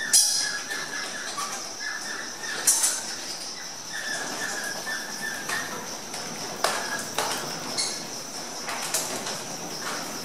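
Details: Egyptian fruit bats (Rousettus aegyptiacus) on display in the bat cave of the Mahajanga house, a walk-through Madagascan exhibit at Parc Merveilleux, jostling at a feeding bowl. Short squeaky chirps, a few sharp clicks and wing noise sit over a steady high whine.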